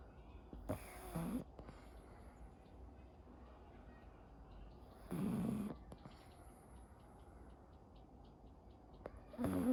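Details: Anko the pug snoring during daily life; three softer, breathy rasping snores spaced about four to five seconds apart over a low room hiss.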